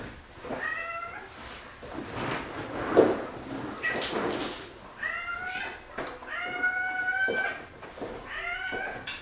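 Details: Four male domestic cats, three taken-in strays and one from a shelter, excited at feeding time: repeated insistent meows, several overlapping in quick succession, with thumps and household clatter between them.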